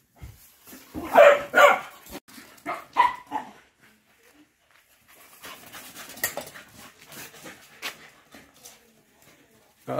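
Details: Lively Patterdale Terriers on a chase let out a quick burst of several loud barks at the start. Softer rustling and movement noises follow through the rest.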